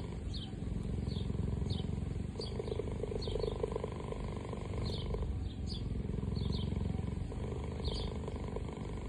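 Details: A cheetah purrs in a deep, steady rumble while small birds chirp faintly above.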